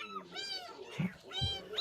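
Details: Stray cat found during a rescue gives two high, arched, rising-then-falling meows, about a second apart, while a person speaks softly in Korean underneath.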